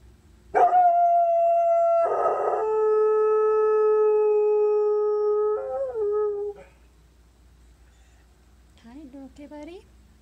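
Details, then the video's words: Pet dog at 15 months old howling: a long sustained tonal howl, starting high then dropping to a steady lower pitch held about four seconds, wavering and ending near 6.5 seconds, followed by a short quieter wavering whine. "Does your dog howl"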